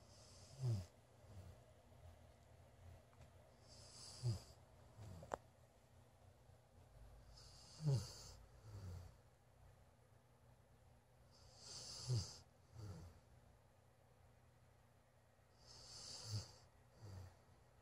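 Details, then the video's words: A Golden Retriever asleep indoors in a bedroom snores in low, rumbling breaths, each ending in a soft hiss, about every four seconds. "Golden Retriever snoring"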